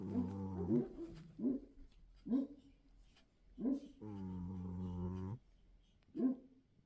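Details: Sleeping cat snoring: low, buzzy, toned breaths repeat roughly every second, with one longer drawn-out droning breath in the middle; quiet room otherwise.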